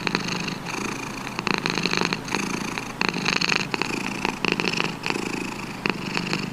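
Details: Domestic cat: a continuous rough, rumbling purr with dense grainy pulses and brighter bursts at irregular moments through the clip.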